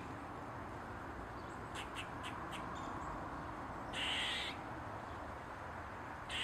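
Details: Eastern gray squirrel on a mushroom, tail wagging: a few quick, dry chucks followed by a single loud, harsh, drawn-out squawk, then the start of another, over a constant low background hiss.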